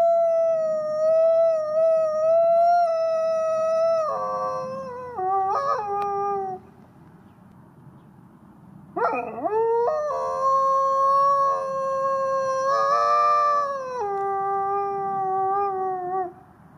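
A gray wolf howls in long, steady, mournful tones, holding each note before sliding down.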